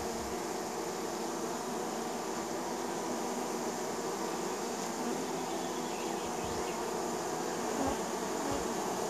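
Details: Neighbour's honey bees landing at the hive in spring, a dense, continuous buzzing drone of many bees, steady throughout with no pauses.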